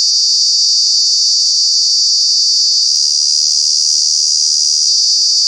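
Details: Loud continuous cicada buzz from Kanha National Park in summer, a shrill steady whine with a faint pulsing texture and a small pitch step near the end.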